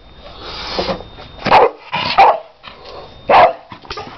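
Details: Staffordshire Bull Terrier worked up by balloons gives a few loud, harsh barks spaced half a second to a second apart, with rustling and scuffling noises between them.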